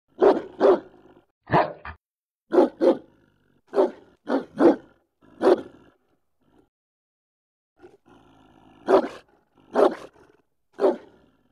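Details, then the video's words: German Shepherd delivering loud, deep barks, often in pairs, about fifteen in total, with a pause of a couple of seconds midway before the barking resumes. "Sonido de pastor alemán"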